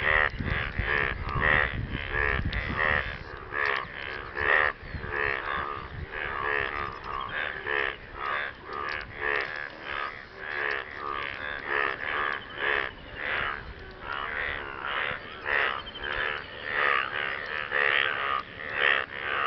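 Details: Dense chorus of frogs calling to partners after rain: many rasping, pulsed croaks overlap almost continuously, with a loose, uneven pulsing rhythm and a low rumble in the first seconds.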